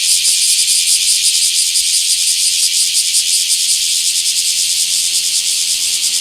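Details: Bear cicada singing in a small park on 24 July 2026: a loud, dense, high hissing buzz, steady throughout, with a fine rapid pulsing texture and no other clear sounds.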